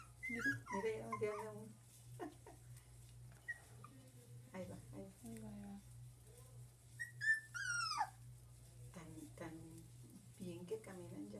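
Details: One-month-old dachshund puppies whimpering and squealing in quick, high, wavering notes, some sliding steeply downward, with a steady low hum and a woman speaking French.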